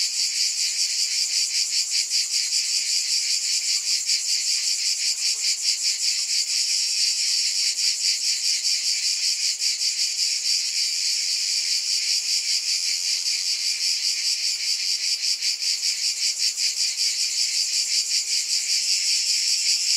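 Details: A long run of continuous, hissing cicada buzz with rapid even pulsing that holds the same loudness throughout. Nothing else stands out.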